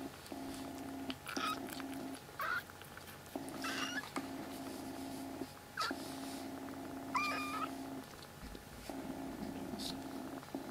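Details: Three rescued black kitten siblings in temporary foster care, crying loudly indoors: a couple of sharp rising mews cut through a rhythmic purr that pulses in long regular on-off stretches, with faint background rustling.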